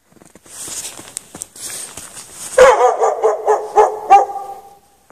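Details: Chained dog left out in the snow at night with no shelter, barking; hissy noise first, then a loud run of rapid, overlapping barks for about two seconds before fading.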